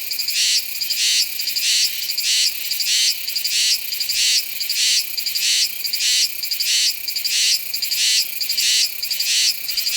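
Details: Cicada Meimuna iwasakii in song at Nanzhuang, Taiwan, in September, captured with a Sony A7s3 and Rode VideoMic NTG: shrill, high pulsed buzzes repeated steadily about one and a half times a second, each rising and cutting off sharply.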